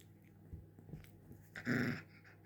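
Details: Pet puppy eager to play, a few soft low huffs and then a louder rough growl with breathy panting, lasting under half a second, over a constant indoor hum.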